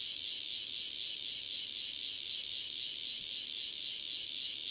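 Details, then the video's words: One Cryptotympana takasagona cicada singing near Dona village in KaoHsiung County, a harsh high rasping drone broken into rapid, very regular throbs, roughly four per second, continuing without pause. "5- Cicada Cryptotympana takasagona, single, near Dona village, KaoHsiung County"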